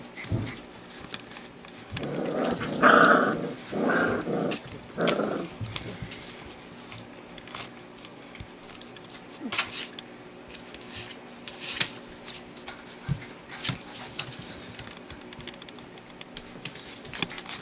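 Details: Four-week-old white Golden Retriever puppies, trying out their barks while playing happily, give a short burst of squeaky, growly little barks, then fall quiet.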